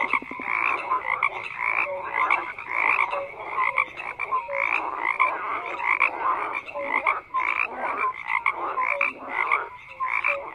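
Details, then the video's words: Many frogs croaking at once: grating, clicky croaks stacked over one another with scattered short whistle-like notes, a busy unbroken chorus that swells and dips every second or two. "FROGS CROAKING"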